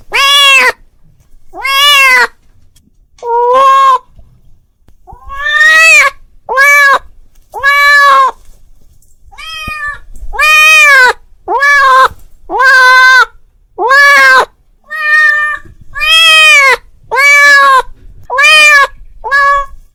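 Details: Calling for its friend, a domestic cat utters repeated loud meows, some drawn out and others clipped, each bending up then down in pitch, spaced irregularly with brief silences between them.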